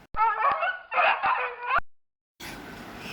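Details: Dog barking: three or four loud, harmonic barks in quick succession over nearly two seconds, then a short silence followed by a steady hiss of background noise.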